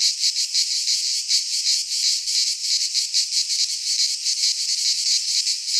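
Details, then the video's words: Greek pine forest cicadas in midsummer, their high, hissing song running unbroken and swelling in quick irregular pulses, faint low rumbles underneath. "Cicadas singing in midsummer"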